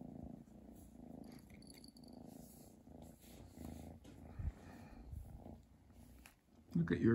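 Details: Chi, a pet cat, purring over a Christmas present indoors: a steady low rumbling purr throughout, with faint murmuring voices at times and a louder sound breaking in at the very end.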